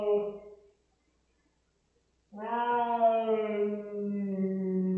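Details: Rosetta, a pet cat upset by an anti-flea pipette application, ends one wail, falls silent for over a second, then launches into a sustained, deep, moaning yowl that slowly sags in pitch and holds to the end.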